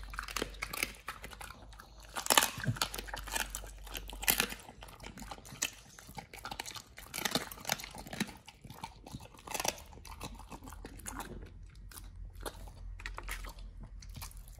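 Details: Nomyen, a Pit Bull on a raw diet, eating sole, silver pomfret, Indian mackerel, duck feet and quail eggs indoors: wet crunching and snapping bites, dense irregular clusters with louder cracks near two seconds and again near ten seconds.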